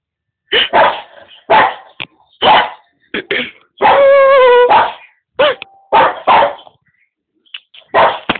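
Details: A Boston Terrier barks at other animals on TV, giving a run of sharp, excited barks with one drawn-out, whining yowl in the middle.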